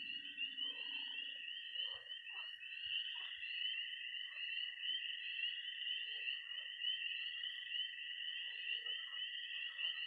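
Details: Missouri pond at night in early spring, tree frogs, toads and frogs calling together: a continuous shrill peeping chorus with a constant high trill running under it, and scattered lower chirps.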